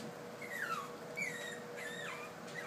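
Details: Puppies on stairs for the first time, Rosy among them, give three or four high whimpers that fall steeply in pitch, spaced about a second apart, against an indoor electrical hum while a person coaxes them.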